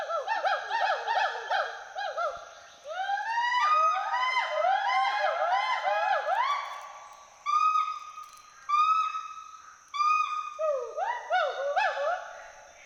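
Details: Western hoolock gibbons, a pair at play in the forest canopy of Hollongapar Gibbon Sanctuary, Assam, whoop and hoot as social and territorial calls. Bouncing arched whoops alternate with long, level, steady tones and short bursts of quick rising-falling notes.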